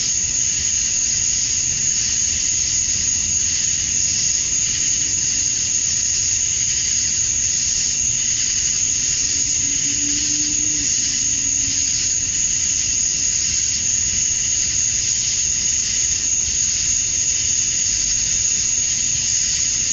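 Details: Male cicadas in Georgia, USA, chirping at summer dusk to attract females, a seamless high sizzling chorus with a bright whine on top, and a faint low hum rising briefly midway.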